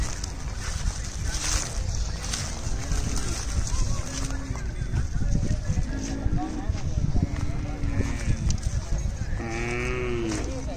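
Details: Khillari cattle at a crowded cattle market in Pandharpur during the 2023 Chaitra Wari: several drawn-out low moos rise over constant crowd chatter, and a longer wavering bellow comes near the end.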